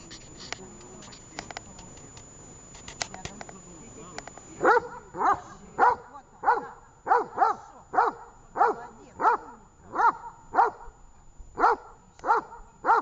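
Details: Dog named Tash during training in Horlivka on 18 August 2019; after a few seconds of talk and clicking, loud, evenly spaced barks ring out about every 0.6 seconds, a steady run of more than a dozen.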